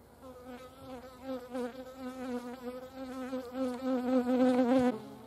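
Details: Hornets visiting a feeding place in the Eifel, Germany: a sustained humming buzz with many harmonics that grows louder and rises slightly in pitch toward the end, then cuts off abruptly near five seconds.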